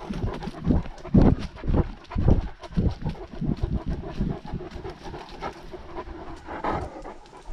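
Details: Steady panting from a Great Dane out walking, GoPro worn by the dog: quick rhythmic breaths, roughly two each second, low and rasping, with a faint higher breathy note near the end and light outdoor rustle.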